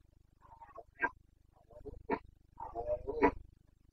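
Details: Carpathian red deer stags roaring during the rut in the forests of Bucovina, Romania, in late September 2022; several short, harsh bellows in quick succession, some overlapping, over a steady low hum.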